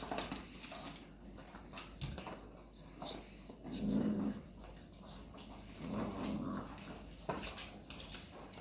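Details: Labrador Retriever puppies playing indoors with cardboard rolls; low, rumbling growl bursts come around four and six seconds, set against steady rustling, scraping and tapping of cardboard.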